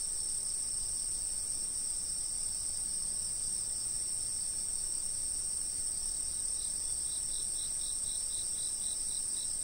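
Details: Insects heard from a fixed camera: steady high-pitched ringing drone from a continuous chorus, with a faint pulsed chirping that starts near the end and repeats in quick even beats.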